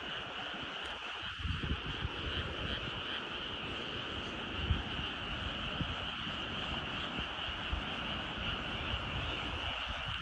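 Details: Frogs calling at evening in rice fields among the mountains at Nyuzen, Toyama, Japan: a dense, steady chorus of overlapping croaks forming a continuous trilling wash, with soft low rumbles underneath.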